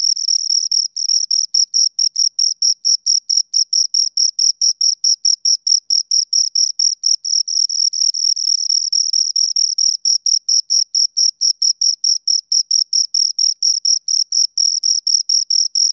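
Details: Two crickets chirping steadily: a rapid train of short, high-pitched pulses repeating several times a second, with a fainter higher overtone band, clean and loud with no other sounds.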